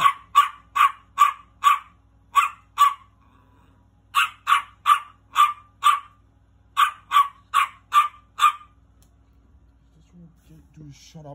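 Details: Little dog barking angrily in rapid, evenly spaced volleys of five or six yaps, a pause between groups, then quiet with faint low sounds at the end.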